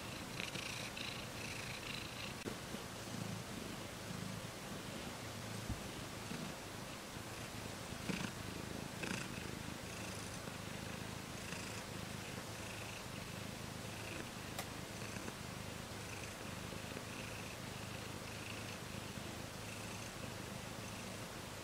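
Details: Pet cat purring continuously, a soft low throbbing rumble with gentle rhythmic pulsing and breathy hiss above, steady level throughout with a brief click midway.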